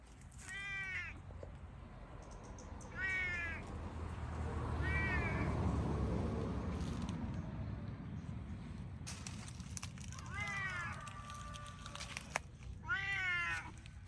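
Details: Pet cat meowing again and again: drawn-out, arching meows in short bursts separated by quieter stretches, over a steady low rumble and a few sharp clicks.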